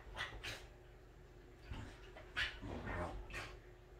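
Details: Welsh Corgi dog indoors at home, making sounds when in its happiest mood: breathy, noisy huffs and snort-like bursts, about five in quick irregular succession, with a faint room background.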